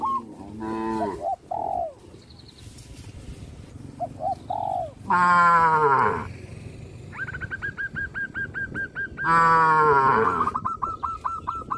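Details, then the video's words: Two loud, sustained, deep moos from village farm cows heading onto a road, preceded by shorter, lower calls and followed by a quick series of high, repeated tonal notes. "Cows jump onto the road, sound of cows"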